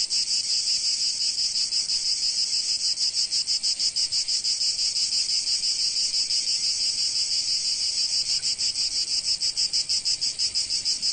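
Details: Provence cicadas in the sun, a harsh, high, steady buzz with regular throbbing pulses near three per second, slightly uneven in places, with nothing else audible.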